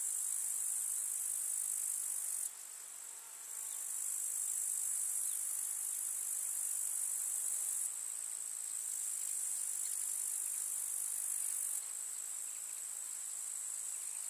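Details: A summer meadow full of grasshoppers in the village countryside, their high, steady rasping trill breaking off briefly several times, with one chorus cutting out and resuming.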